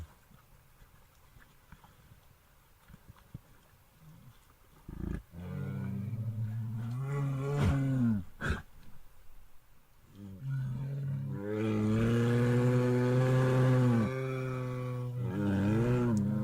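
A bear gives deep, drawn-out roars, rough and throaty, in two long bouts.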